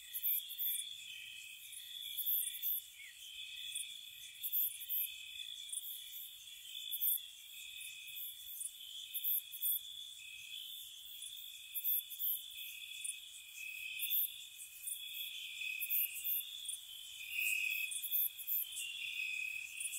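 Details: Spring night at a cottage, crickets trilling without pause in a layered high chorus, sharp bursts rising above the drone in quick, uneven groups throughout.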